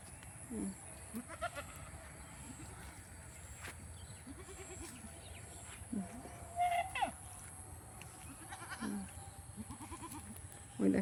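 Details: Domestic goats running about by a pond, some climbing trees to eat mango leaves and fruit; short wavering bleats come every few seconds, some rising then falling, over a steady low hum with faint high chirps.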